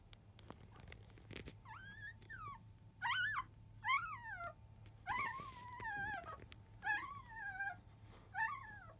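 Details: Fussing five-day-old Labrador Retriever puppies of field lineage at the start of nursing, early afternoon; a run of about eight bright, arched whines, each swooping up and down, spaced roughly a second apart over a faint steady hum.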